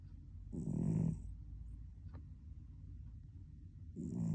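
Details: Snoring cat asleep: one coarse, low rumbling snore, then a pause with a faint click, and another snore beginning as the recording ends.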